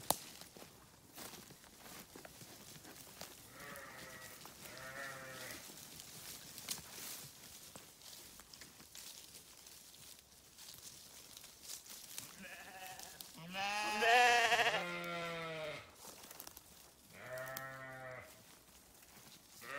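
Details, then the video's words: Sheep bleating: two wavering bleats close together, then a longer, louder, strained bleat mid-clip and a final shorter one, over a steady hiss with scattered clicks and rustles. "Sheep Sounds"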